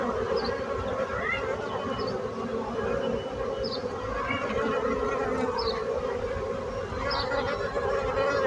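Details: A continuous swarm-like hum from bees, thick and even throughout, with short faint high chirps popping out above the drone every second or so.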